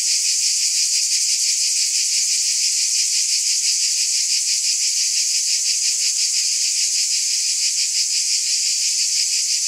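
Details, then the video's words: Cicadas in a dense, unbroken high buzz, a hissing wall of sound that pulses faintly about three times a second at an even loudness throughout, with no other animals or voices. "Scintillating Cicadas 1 hour White Noise"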